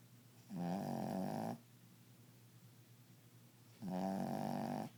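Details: A male pet dog snores loudly in a small room, two drawn-out, rough, rattling inhalations about three seconds apart, separated by near silence.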